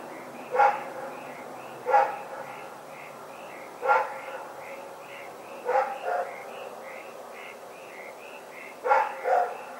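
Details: Rex the dog barks through the night, February 27, 2018: five bark bursts, some doubled, roughly every two seconds, while a rhythmic high-pitched chirping repeats steadily underneath.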